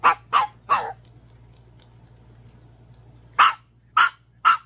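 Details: A tiny Chihuahua gives sharp, high yips: three quick ones, a pause, then three more.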